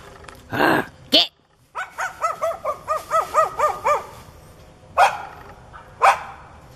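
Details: Neighbour's dog, barking, growling and foaming at the mouth, charging at a person whenever their back is turned. A man shouts commands, then the dog gives a fast run of about ten tonal, yelping barks, followed by two harsher barks.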